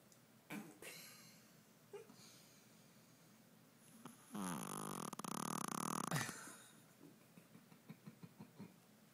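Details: A tiny 5 lb Shih Tzu named Stella sleeps after a long day without naps, producing a loud, drawn-out buzzing snore of nearly two seconds with a rattling flutter, bracketed by quieter snorts and breaths indoors.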